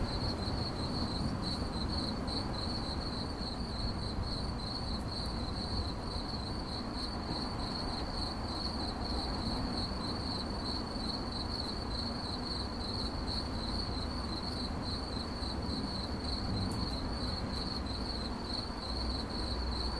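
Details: Cricket chirping in a steady, fast train of high, shrill pulses that runs without a break, over a constant low rumbling background.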